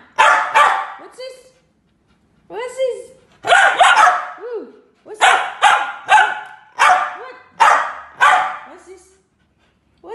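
A poodle gives a run of sharp, high barks in quick bursts, some trailing into short whiny yips.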